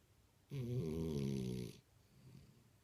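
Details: Sleeping French Bulldog named Imohei lets out one throaty, vibrating snore about a second long, then soft breathing in a quiet indoor room.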